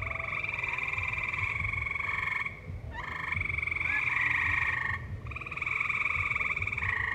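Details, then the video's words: Tree frogs singing in a valley alongside live music: a continuous high, buzzy trill held for about two seconds at a time and broken by brief pauses, over a low rumbling musical background. "Tree Frogs Singing"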